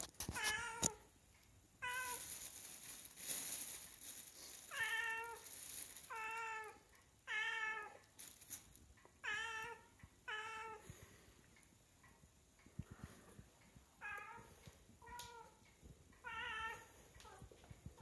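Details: Female Siamese cat meowing persistently for seafish after catching its smell, begging until she gets it; about nine clear, harmonic meows, each under a second, repeated every one to two seconds, with clatter and rustling between them in a small room.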